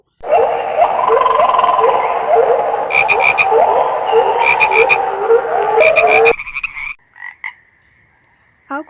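A chorus of tree frogs giving dense, rapid croaking calls with higher clicking notes mixed in.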